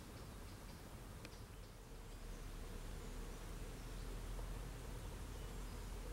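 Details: European hornet about 3.5 cm long crawling across a canal towpath in Oxfordshire, UK, in mid September, behaving strangely and seemingly disorientated near the end of its life; a low, steady droning buzz sits under a deep rumbling background.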